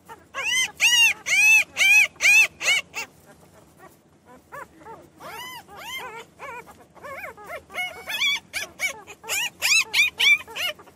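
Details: Newborn puppies crying in a rapid run of loud, high, arching squeals, a quieter stretch of softer whimpers in the middle, then another burst of shrill cries.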